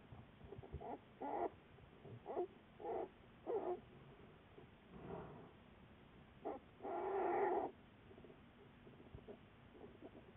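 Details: American black bear studied by researchers, recorded February 10, 2014. Quiet scattered short vocal bursts, followed by one longer, louder rasping call near the end, with low background rustle.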